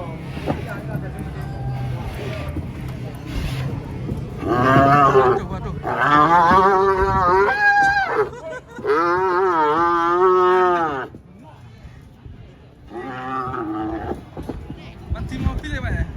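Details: Angry cow coming down from a truck, bellowing in several long, wavering moos of about one to three seconds each, rich in harmonics, with men talking and handling noise between calls.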